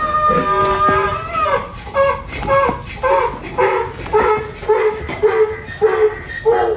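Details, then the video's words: A stubborn donkey resisting restraint during hoof trimming, tossing its head and sighing: a series of rhythmic, strained honking calls repeated about twice a second, with a low droning background. "ロバは頭を前後に揺らし、「フーフー」という鳴き声を上げ続けていた。"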